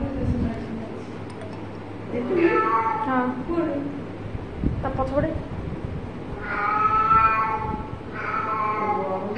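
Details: Pet cat meowing during play, with several harmonic mews and longer wavering cries mixed with a person's voice and some faint music, indoors.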